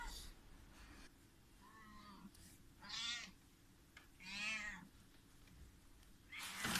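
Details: Domestic kittens about one month old, fighting indoors while their mother cat watches; two loud, harmonic, squealing meows about a second and a half apart, with softer faint mews between and a sharp noise at the end.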